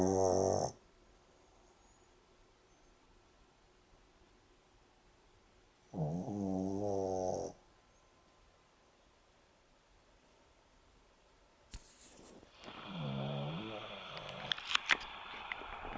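A Boston Terrier snores in rough, rattling bursts separated by long quiet pauses.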